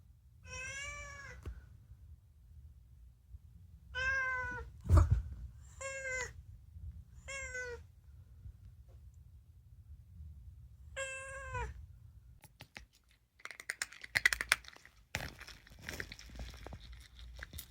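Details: Unagi, a talkative rescued male house cat, meowing mostly about food: six clear, tonal meows of about half a second each, some slightly rising then falling, spread over twelve seconds, then rustling and clattering indoor noises.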